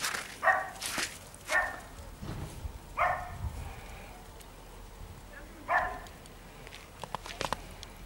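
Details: White Maltese dog in snow for the first time, barking in short bright bursts roughly every one to two seconds, four clear barks, with rustling and a person softly praising it in German.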